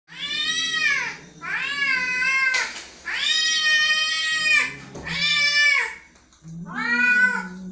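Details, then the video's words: An angry cat gives five long, drawn-out meows, each a strained, nasal wail that rises and then falls, separated by short pauses, with a low growling undertone running beneath the calls indoors. "angry cat"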